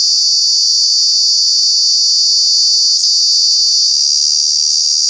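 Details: In Kanha National Park a cicada, a true bug, produces its very loud summer call: an unbroken, intense high-pitched drone that never pauses, with a brief low murmur at the very start.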